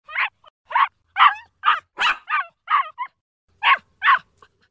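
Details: Puppy barking: about ten short, high, sharp yips in quick succession, irregularly spaced with one brief pause, each a quick bright burst with no other sounds.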